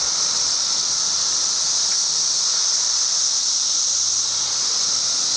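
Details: Chicago's periodical cicadas swarm out in an emergence that comes once every 17 years, reaching 1.5 million insects an acre. A constant high, hissing whine from countless callers fills the entire stretch without pause.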